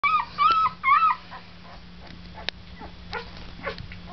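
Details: Deca's puppies, almost one week old, giving three loud whining squeals in the first second, each arched up then down with bright harmonics. Fainter scattered squeaks and clicks follow over a steady low electrical hum.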